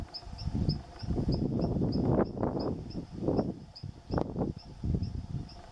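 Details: Brown howler monkey (Alouatta guariba) howling, giving deep, guttural roaring pulses, with a steady high insect ticking behind.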